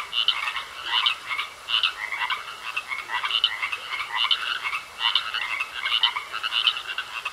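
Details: Frogs calling from a pond, harsh pulsed croaks grouped into bursts roughly every three-quarters of a second, overlapping callers and a soft continuous hiss.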